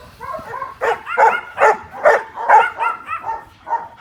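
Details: A guard-protection dog gives a fast run of sharp, tonal barks, about two or three a second, barking on command at a threat object after training with sound and visual stimulation and a "watch" command.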